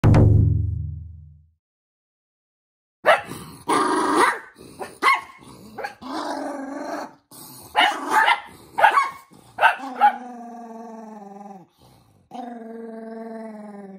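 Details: Toy poodle Minato, angry while socks are put on his feet. Mixed scuffling and bursts come first, then from about ten seconds drawn-out tonal growls with stacked harmonics, two long runs broken by a short pause.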